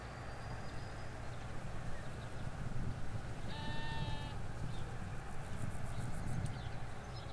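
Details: Ewes and lambs in a Hampshire countryside field, recorded in stereo from halfway along a hedge: one short, clear, tonal bleat with stacked harmonics lasts under a second, set against a continuous low road hum and faint outdoor ambience.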